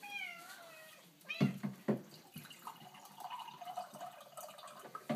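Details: A Siamese cat, which loves the bubbles from a water cooler, gives a single drawn-out meow that slides downward, followed by gurgling water and clunks.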